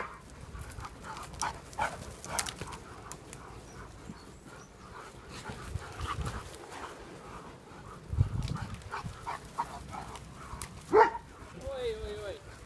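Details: German Shepherds playing in the sun, breathing in soft, breathy, rhythmic panting pulses throughout, with a sharp short whine and a wavering squeak near the end.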